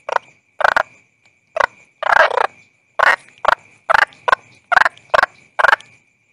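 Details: Rasping toad croaks, about one a second, short and rough, a few longer and doubled, above a faint unbroken high-pitched whine.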